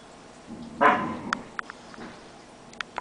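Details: Siberian husky puppy from a 2010 litter, giving a single sharp, harsh yip-bark, followed by soft clicks and taps in a quiet room.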